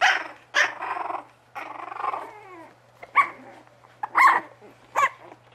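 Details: Bugg puppies indoors: rough growly yaps, a longer grumbling growl, then three sharp, higher barks spaced about a second apart.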